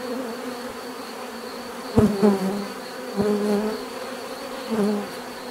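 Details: Bees buzzing in nature, a low steady hum broken by individual bees passing close, each pass a louder, wavering buzz lasting under a second, heard about three times against the softer swarm drone.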